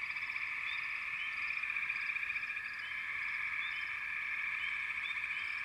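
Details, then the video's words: Frogs call as a group: a constant pulsing trill with scattered short upslurred chirps on top, steady in volume from start to finish. "Frogs - Nature Sounds"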